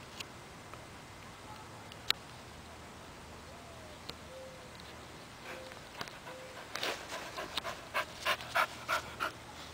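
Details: Buddy, a four-month-old puppy playing fetch, pants in quick breathy bursts, roughly three per second, through the final three seconds after a quiet stretch of steady hiss with a few faint short tones.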